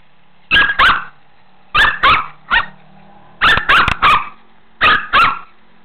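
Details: Shih Tzu named Megan playing in a pool, barking in quick bursts of two or three sharp, mid-pitched barks, with each burst about a second and a half apart and quiet between bursts; no other clear sounds.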